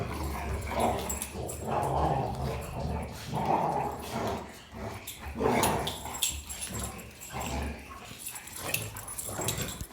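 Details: Three German Rottweilers, a male and his sisters, play and wrestle. The male makes the most noise as his sisters provoke him, giving rough, throaty growls and grunts in uneven bursts with brief whiny notes between. Rottweiler.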